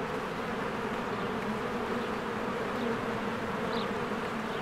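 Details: Honeybees working diligently around their hive in spring, captured on a Canon EOS R. A steady low buzz persists throughout, and one brief faint high chirp stands out near the end.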